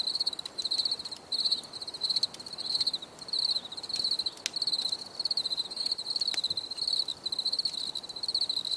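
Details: Crickets chirping for relaxation: a high, pulsed trill in bursts of about half a second, repeating steadily with short gaps, plus faint clicks and a soft background hiss.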